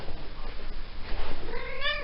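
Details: A female Maine Coon cat in season gives a drawn-out, rising meow while her owner offers to scratch her back.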